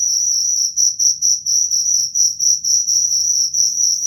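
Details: Cricket producing quick, high, ringing chirps at about four per second in a steady pattern, ending with an abrupt cut-off, faint low hum in the background.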